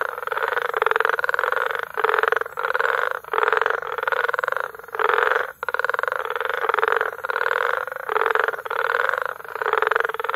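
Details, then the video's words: Frogs calling together at Bagamoyo, Tanzania, in May: rhythmic rattling croak bursts of about half a second each, repeating almost continuously with brief gaps between them. "Frog Sounds - Foley Tanzania"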